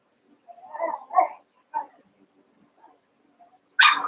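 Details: Cavalier King Charles Spaniel puppies, Daisy's litter of six merged with Robin's two pups, playing together: a few short, tonal whimpers rising and falling, then a quiet gap and an abrupt harsh burst at the end.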